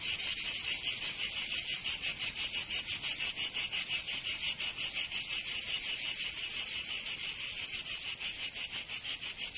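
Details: Summer cicada chorus in Provence, southern France, a shrill continuous buzz made of quick regular pulses, roughly three per second, steady in loudness throughout.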